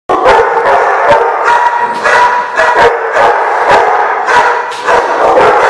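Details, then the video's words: Several dogs barking together, recorded 2/6/15: dense, overlapping barks that repeat rapidly with no pauses, forming a steady, continuous chorus. "The Barking Lot"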